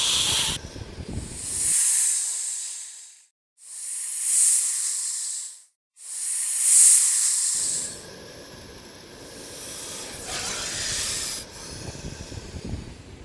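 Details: Snake giving three dry, drawn-out hisses, each roughly one to two seconds long with brief gaps between, followed by a stretch of softer rustling noise and fainter airy hiss.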